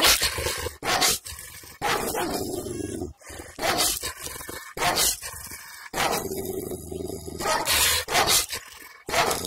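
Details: Kangal dog barking angrily in a village, recorded with a camera microphone on a selfie stick: a rapid, nearly continuous run of deep, rough barks, roughly one every half second to a second.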